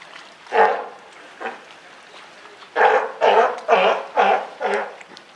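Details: California sea lion parent and newborn pup, Higashiyama Zoo and Botanical Gardens, Japan, June 28, 2023. A single hoarse call, a pause, then a quick rhythmic run of five loud bleats.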